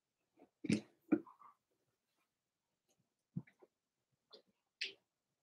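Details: Three-week-old Blenheim Cavalier King Charles Spaniel puppies, Robin's litter born September 15, 2022, indoors overnight: brief soft squeaks and snuffling breaths in scattered bursts, with one short nasal whimper, in a quiet small room.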